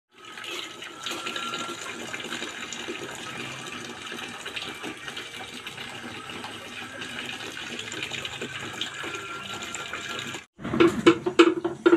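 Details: Steady rush of running water fills the recording, then a brief pause and a burst of clattering knocks near the end.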